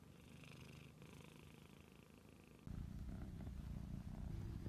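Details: Purring domestic cat close up, a deep throbbing rumble that grows suddenly louder and fuller about halfway through.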